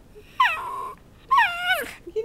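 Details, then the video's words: Bowzer, a pet dog being taught to speak for chicken, gives two drawn-out moaning whines, each starting high and sagging down, roughly a second apart. "Bowzer speaking for chicken"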